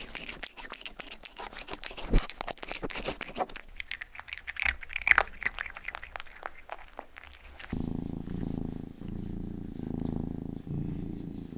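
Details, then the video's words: Domestic cat, the youngest in the household, recorded indoors for a close-up ASMR session. Wet licking and grooming clicks come first, then a steady low rumbling purr with a gentle pulsing rhythm takes over. "ASMR 하는 고양이!(Purring & ear licking sound)"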